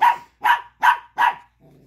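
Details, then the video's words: Angry Chihuahua pup, mad that another dog has a tiny bone he wants; four rapid, evenly spaced sharp barks, ending in a soft low growl. "Angry Chihuahua Pup Barking"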